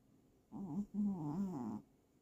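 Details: Sleeping pet cat giving a short run of snores, a brief voiced rasp followed by a longer wavering, nasal buzz, low-pitched, with quiet room background.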